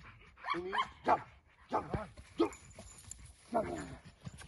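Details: American Bully XXL dog barking during security and protection training: several loud, harsh barks rich in overtones, spaced irregularly about a second apart, with a man's Romanian commands mixed in.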